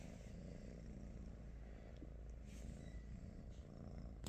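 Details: British Shorthair cats spending the morning with their owners; continuous deep purring rumble, fairly even, with a few light taps and a short sharp click at the end.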